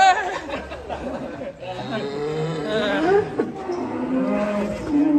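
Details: Huge fattened cattle from Cirebon, Indonesia, being led out of its pen; drawn-out low, wavering moos mixed with people talking and chattering close by.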